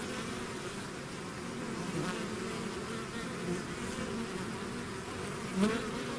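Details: Bees swarming outside their hive produce a continuous low droning buzz, wavering slightly, with a single nearer bee swelling loudly just before the end.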